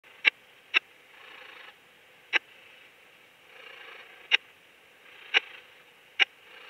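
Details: Raymond's bush-cricket (Yersinella raymondi) at Lido di Spina, Italy, on 3 September 2021, captured through an ultrasound detector: sharp isolated clicks at irregular intervals, six across roughly seven seconds, over faint steady background hiss.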